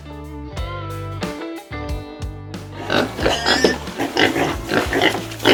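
A pig gives rough, snorting oinks in quick irregular bursts after a short stretch of music.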